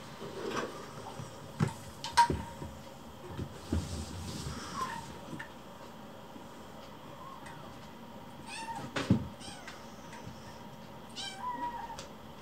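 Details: Indoors, rescued kittens press their keeper for food as dinner is readied; sparse meows, a few quick bursts of high cries near the end, amid cupboard knocks and quiet room noise.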